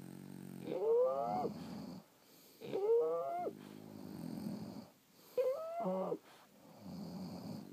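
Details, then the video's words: French Bulldogs asleep, snoring in slow cycles: three whistling, rising wheezes on the inhale, each followed by a softer low rasping breath out, with quiet pauses between. "Snoring French Bulldogs"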